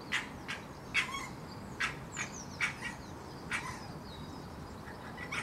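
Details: In a back garden during the mating season, a female red fox calls to a male hanging around nearby around midday, giving a run of short, rough barks roughly every second over steady bird chirps.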